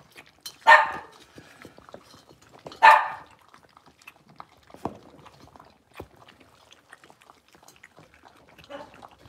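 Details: Blenheim Cavalier King Charles Spaniel puppies, six weeks old, a litter of five in an indoor puppy pen: two sharp high yips about two seconds apart, then a faint third yelp, with small rustles and scratching between.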